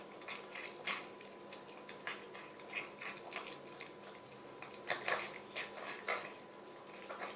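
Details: Mia the Chihuahua, nearing the end of her bowl of homemade chicken soup, snarfing with repeated wet slurps, tongue laps and smacking gulps, busiest toward the close.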